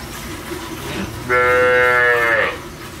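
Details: Local desi black cow in India, milked at a dairy while her calf stands near its mother; one loud, steady, rich-toned moo lasting just over a second, starting abruptly after a quiet background.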